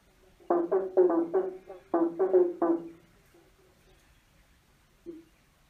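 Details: A frog chorus under a bridge starts with two fast bursts of rasping croaks, then near silence broken by one soft final croak.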